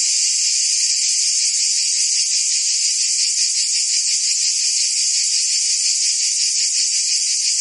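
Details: Provençal summer cicadas singing together in France, producing an unbroken high-pitched rasping drone with a subtle fast throb, evenly loud from start to end.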